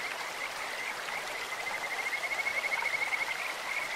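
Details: Kajika frog in a clear mountain stream, its bird-like call a high, fast pulsed trill that runs steadily for about two seconds, swelling toward the end, over a hiss of flowing water.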